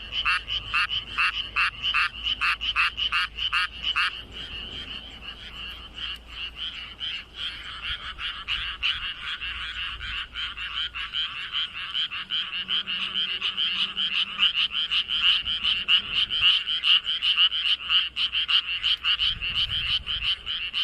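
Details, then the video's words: Frog croaking in a flooded rice field, its body puffed up fully while calling: a run of loud, rapid rasping croaks for four seconds, then merging into a dense, continuous chorus of many frogs. "破裂しないか心配 になるほど体を思い切りふくらませて鳴くカエル"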